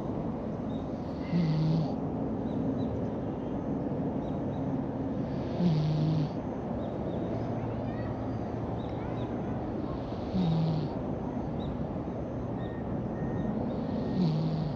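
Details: Loud snoring from a brown-and-white stray cat enjoying an afternoon nap in a park; brief low buzzy snores recur about every four and a half seconds over constant outdoor noise, with small birds chirping faintly high above.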